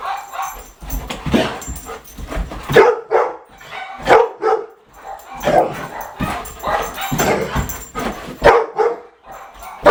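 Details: Golden Retriever named Bo, pranked and made dizzy with a laser pointer, gives short harsh barks and yips in irregular bursts, several loud ones close together, with brief quiet gaps and faint room noise between.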